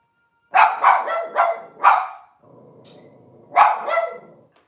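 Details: Cavalier King Charles Spaniel at a breeder's home kitchen camera on a cloudy Monday morning; five quick, bright barks in a burst, a short pause with soft low rumbling, then one more bark and a fading yelp.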